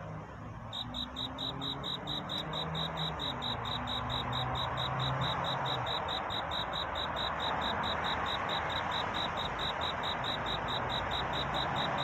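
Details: Cricket singing to find a mate on a night of courtship: fast, even high chirps, about two to three each second, starting after a brief pause and running over a broad steady hiss with faint low hum.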